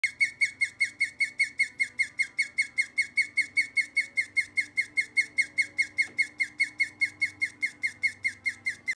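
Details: A guinea pig gives steady, high squeaks, about three each second, over a faint low hum; this "song" is said to be sung to attract a mate.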